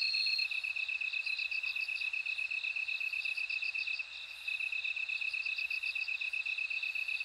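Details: Chorus of bell crickets: a fine, fast pulsed trill breaks briefly near the middle and resumes, while clusters of higher bell-like chimes recur every couple of seconds over faint low rumble.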